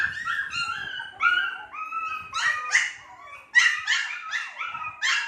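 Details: Several Shih Tzu puppies, two months old, give long wavering whines that step downward, then a string of rapid, higher yelps near the end.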